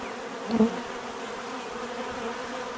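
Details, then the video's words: Bees droning naturally, one loud bee zipping past the microphone just after half a second, then the even background hum of many bees continuing. "bees therapy relaxing natural buzzing sound"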